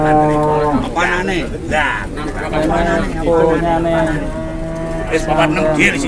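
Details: Cattle lowing amid a busy crowd: long, deep, droning moos with rich layered overtones, pitch dipping briefly then holding level, repeated through the stretch while loud human voices and chatter run underneath.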